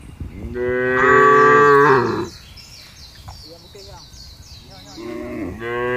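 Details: Large group of cattle being driven over a wide pasture; one long, strong lowing moo, then a quieter stretch with chirping birds, and a second moo starting near the end.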